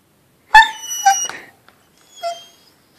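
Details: Bacio, a 3-year-old Labrador-Great Pyrenees mix, protests the cone he must wear after femoral head ostectomy surgery: a loud harmonic whining yelp, a wavering follow-on whine, a pause, then a softer second whine indoors.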